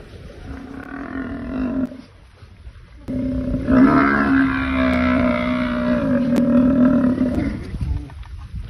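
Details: Buffalo herd under attack by a crocodile: a low, drawn-out moaning bellow rich in harmonics, one short call at the start, then after a brief pause a long sustained bellow running from about three seconds to the end.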